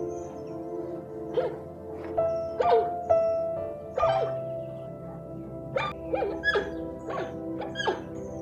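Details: Dog giving short, high yelps and yips, some in quick pairs, scattered through the recording with brief pauses, over steady background music.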